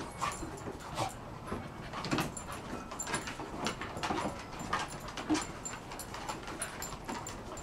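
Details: Rolex, a 1-year-old female Shar Pei, wrestles playfully with Ellie, an 8-month-old Kelpie x Border Collie, each grabbing at the other's cheeks; panting, short whines and yips mix with rustling scuffles throughout.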